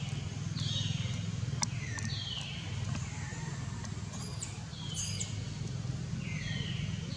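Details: Hungry infant long-tailed macaque Jinx crying even with milk in its mouth, mother Jade's milk having dried; shrill descending wails about once a second, each sliding from high to lower pitch, under constant low-pitched background droning.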